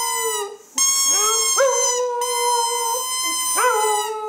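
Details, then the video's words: Female pet dog howling along to a squeaking squeeze toy, recorded 23 January 2010; long steady tonal howls with rich harmonics, some rising at the start, briefly broken by squeaks and short pauses. "Skadi #1 singing"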